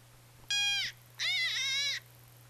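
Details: White-tailed deer gives two harsh, high, wavering distress screams, the second longer and rougher; an example of a deer with nothing good happening to it, its screams' nonlinear traits convergent across many species.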